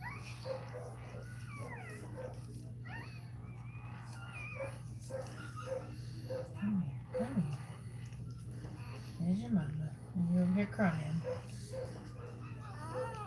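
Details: A Cane Corso crying during Cashmere's labour: thin, high whimpers that rise and fall in short arcs, coming in uneven bursts over a steady low electrical hum, with quiet human voices in the background.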